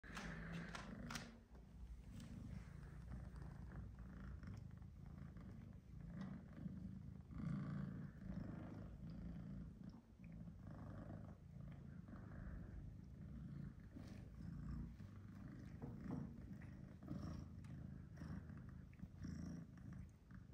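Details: Domestic cats Tom, a black-and-white shorthair male, and Charlie, a British Shorthair male kitten, during an older cat's tough-love disciplining of the kitten; steady low rumbling purr throughout, with soft rustling and faint thumps.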